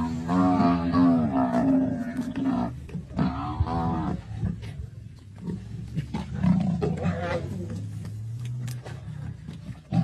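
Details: Lions, including the Black Rock male, fighting a buffalo in the Masai Mara on 6 March 2024; deep harmonic growling roars over the first four seconds, then lower rumbling and scuffling, with a person exclaiming.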